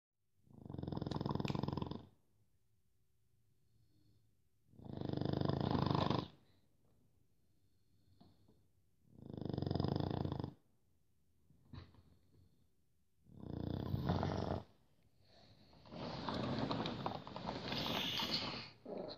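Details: Pug snoring indoors: four deep, rumbling snores of about one and a half seconds each, spaced roughly every four seconds, with a longer, noisier snort-like breath at the end.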